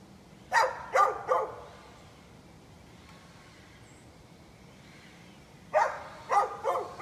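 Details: A neighbor's dog barking, recorded on 11-13-2020: a quick burst of three sharp barks, then a few seconds of quiet background, then another run of three barks.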